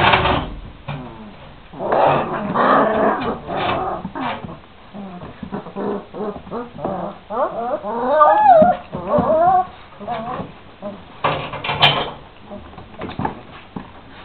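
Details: Šarplaninac puppies aged 26 days growl, yip and whine together, a busy rough chorus with a clear rising and falling whine around the middle and scattered knocks.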